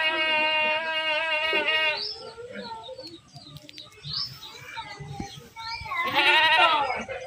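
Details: Goat being herded gives a long steady nasal bleat lasting two seconds, then quieter rustling and small sounds, ending with another strong bleat.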